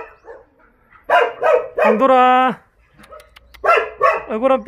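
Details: Jindo dogs at the Jindo Dog Theme Park kennels in Jindo County give a few quick barks, then a steady drawn-out wail lasting about half a second, followed by another burst of rapid barking.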